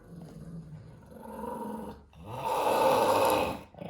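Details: Pet dog growling while being recorded indoors, a low rumbling growl that swells into a louder, grumbling vocal burst in the second half.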